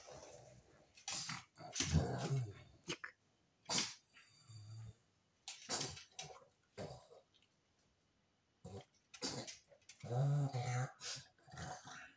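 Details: A pug that hides and does not want to be filmed gives low, rumbling growls in short bursts separated by pauses and rustling, while a person speaks Russian to it.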